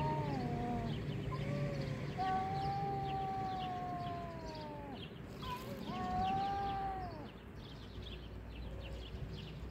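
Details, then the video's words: Cat fight with sustained wavering howls that rise and fall, several long drawn yowls from two cats in turn, with a continuous low hum behind them. "Kedi kavgası Sonunda biri pes ediyor"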